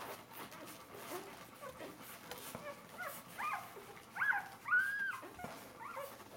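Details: Four-day-old Bernese Mountain Dog puppies crowding to nurse, the litter known as Bernerstars A-Wurf; thin high arched squeaks and whimpers, growing louder toward the end, with soft shuffling between cries.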